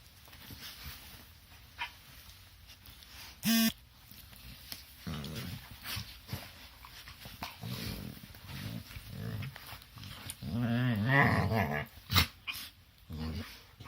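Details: Two dogs play-wrestling as they do every morning, making a brief sharp yelp, then a run of irregular grumbling growls and snorts, ending in a wavering, moaning whine with scuffling sounds between.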